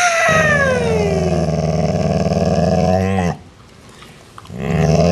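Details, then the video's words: Part-Rottweiler dog growling at its sibling to assert rank; a long, deep, vibrating growl lasting about three seconds, then a short pause and another growl starting, with slight pitch wavering at the beginning. "the Rottweiler Growls"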